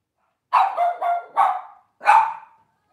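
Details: Short burst from Cavalier King Charles Spaniels in a home kitchen on a cloudy morning: three quick, connected mid-pitched barks, a pause, then a single final bark fading out.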